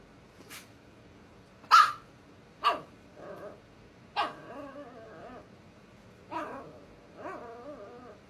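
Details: Scout, a 5-month-old female Scottish Terrier-Chihuahua mix puppy, gives sharp, high yappy barks with whiny, growly tails, indoors, urging her sleeping 2-year-old sister to play because she is bored.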